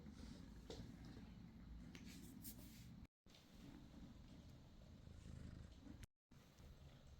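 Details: Low, even purring from a British Shorthair kitten, a rough pulsing rumble that carries on through the whole stretch, broken twice by brief moments of complete silence, with light rustling above it.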